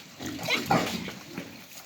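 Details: Pigs on a farm in Jamaica: a short, harsh, noisy squeal with two loud bursts in quick succession, then fading rough grunting, with farmyard background noise.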